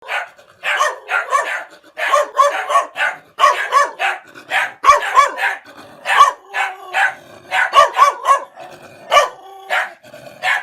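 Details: Angry dog barking at a person approaching its place, backing away while barking: rapid series of sharp, harsh barks in clusters of two to four, nearly continuous over the whole stretch.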